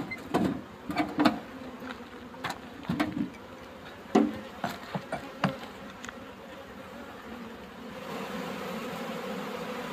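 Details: Honeybees buzzing during honey harvesting as a beekeeper removes them from the hive with a smoker; a low, steady hum runs beneath repeated sharp knocks and clatter of frames, the buzzing swelling louder and denser in the final seconds.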